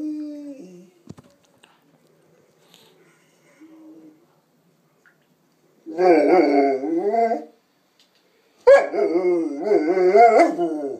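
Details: Sanza, a young female Presa Canario and Rottweiler cross, a pet dog that loves talking, lets out two long wavering howl-like vocal bursts with shifting tones after a few seconds of quiet faint noises.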